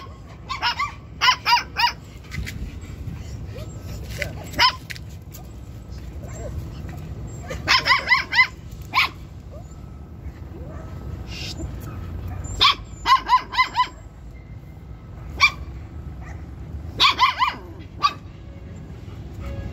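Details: Jack Russell Terrier during stud mating, with sharp barks in clusters of two to four, repeated every few seconds over steady background hum, while people talk in Filipino nearby.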